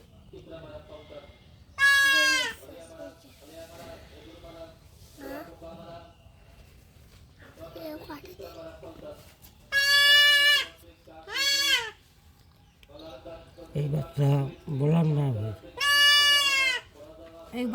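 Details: Young goat kid bleating during castration: three loud, strained cries spaced several seconds apart. Between the cries, people talk calmly and there are softer, lower vocal sounds.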